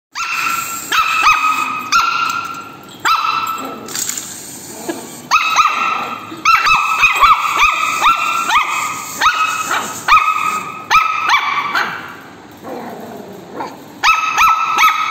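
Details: A Shih Tzu puppy gives a rapid string of high, sharp yaps and barks at a walking robot toy it dislikes; Shih Tzu.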